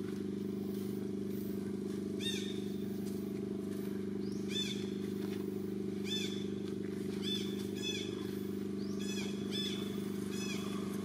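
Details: [1, 'likely', 'crying', "Jade's baby monkey crying loudly while its mother ignores it, as another monkey, Daisy, tries to steal it; high, arched wailing cries recur every one to two seconds over a steady low engine drone."]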